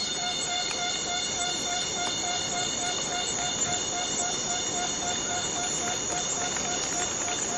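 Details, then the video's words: Rainforest cicada in Borneo: a sustained metallic whine whose lower tone pulses in quick beats, roughly three to four per second, over a continuous bed of higher overtones. "Borneo Rain Forest Cicada - Cicada sound - cicada noise"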